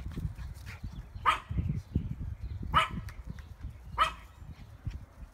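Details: Dog on an ordinary afternoon gives three short, sharp barks about every one and a half seconds over a low rumbling background.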